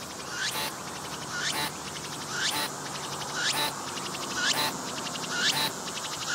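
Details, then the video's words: Singing cicada recorded close up with a 180-degree 3D VR camera, pumping its abdomen as it calls; rising pulsed phrases end in a harsh broadband burst, repeated about once per second, fairly faint against steady background hiss. "鳴いているセミに接近して撮影してみた！I approached the cicadas that were singing and took a picture!"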